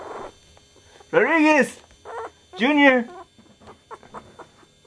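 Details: Chihuahua puppy, from the litter of Goofy Rodriguez jr., Coconut and Chichi Rod, lets out two long, loud, arching cries about a second and a half apart. A person calls the name Rodriguez, with softer murmurs in between.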